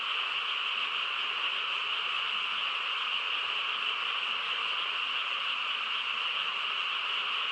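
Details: Frogs on a still countryside night, a thick, unchanging chorus of rapid high trills layered over a softer mid-range hum, steady throughout with no distinct single voices.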